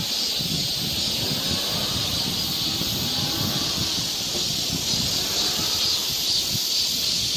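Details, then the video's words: Cicada chorus in a Korean summer forest near Seoul, a constant high sizzling hiss, heard alongside low rustling and shuffling sounds, like footsteps on the trail, that come and go beneath it. "cicada sound"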